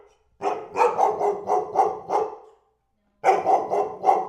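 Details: A dog gives a fast series of about seven rasping barks, falls silent for under a second, then resumes with four more in quick succession; a clean recording without background.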